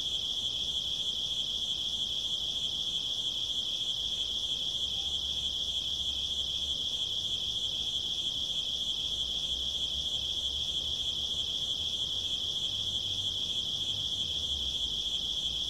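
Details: Cricket at night: a steady high, pulsing trill repeated about three times per second without pause, very regular throughout, over a faint low rumble.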